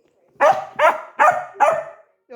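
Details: Labrador Retriever puppy barking: four sharp, evenly spaced barks about 0.4 seconds apart, with a brief human voice starting at the very end.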